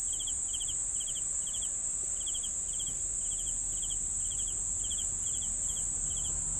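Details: Cricket chorus: crisp, evenly spaced chirps of a few rapid pulses, about two per second, layered over an unbroken shrill whine higher up and faint low rumble.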